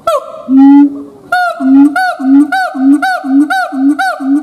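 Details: Gibbon calls from Gondia, Maharashtra: loud pure hooting notes with rising harmonics, a long note followed by a rapid series of short upswept whoops repeated about twice a second, steady and clean with no other sounds.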